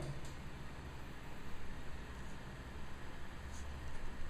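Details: Only a quiet, steady low hum and faint room noise are heard, with no animal sound.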